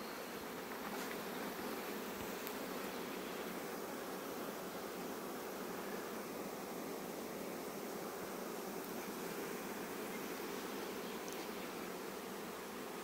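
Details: A steady, dense hum of many honey bees buzzing together without pause as they rush home just before rain, in a season of acacia bloom.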